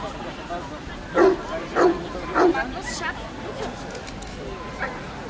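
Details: Dogo Canario at the National Dog Show (CAC) in Toruń, Poland, 19 August 2007: three deep, loud barks about half a second apart, then a faint fourth, over a steady hum of crowd chatter.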